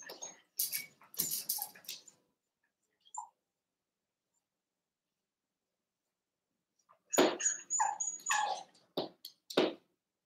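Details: Three Cavalier King Charles Spaniel puppies, Ruby and Blenheim coats, born 9 June 2022, indoors overnight on 27 August: sharp, squealing whimpers and yelps in two busy bursts, separated by several seconds of near silence.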